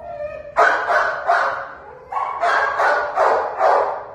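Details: Treeing Walker Coonhound up for adoption barking in a steady string of about seven full, ringing barks, preceded by a short higher whine.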